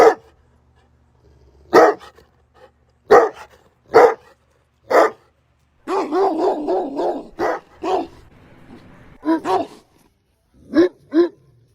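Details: Mastiff with loud spaced barks, then a rapid rolling burst of deeper barks and a whining note, followed by a few more single barks with pauses.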